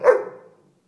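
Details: Indoor pet dog letting out one brief, abrupt bark that quickly decays into a soft trailing tone, with nothing else audible.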